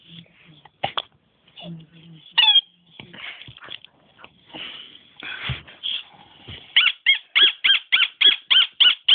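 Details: Pet dog Nemo, who squeaks instead of barking; soft murmuring voices and scattered noises come first, then a fast run of about nine short, high, pinched squeaks repeated roughly every quarter second to the end.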